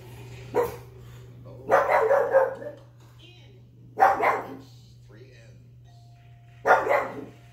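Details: A one-year-old female pug barks at the TV game show Wheel of Fortune, giving short, sharp barks in scattered bursts over a steady low hum.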